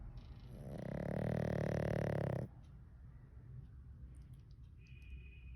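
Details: Pug snoring while asleep, one long, loud rattling snore of about two seconds that swells and then cuts off abruptly. Soft background hiss and a faint high tone follow near the end.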